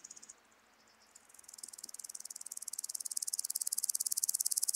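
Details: A woodland grasshopper (Omocestus rufipes) sings a fast, ticking series of high buzzy pulses that swells steadily louder; Gaisberg, Austria, 15 September 2023.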